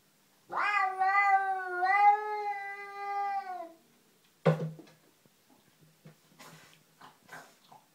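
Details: Domestic cat facing an unwelcome cat in the garden, letting out a long, rich, wavering yowl of about three seconds that swells and then fades, followed by a sharp thud and light rustling.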